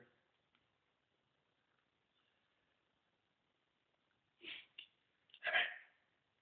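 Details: Husky communicating with its owner: after near silence, a short burst of harsh, breathy yips and snorts, then one louder, longer yowling call at the end.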